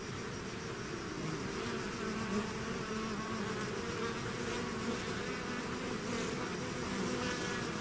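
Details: A swarm of bees leaving its hive fills the air with a constant layered drone, several humming pitches overlapping and shifting gently, steady loudness throughout with occasional closer fly-bys.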